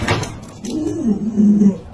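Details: Pet Alaskan Malamute Luoluo utters a low, drawn-out moaning tone lasting about a second, slightly falling then level, preceded by a short voice and ending with a sharp noise, inside a home.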